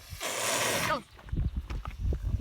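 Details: Caracals during a fight, among them Alex and Luna, with Luna hissing most: one harsh, breathy, broadband hiss lasting nearly a second, then low mumbling voices and handling noise.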